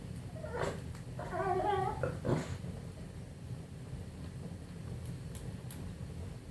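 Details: English Bulldog making funny noises: a couple of quiet snorts, then a short, wobbling, nasal moan lasting under a second, followed by faint snuffles and a long stretch of low background hum.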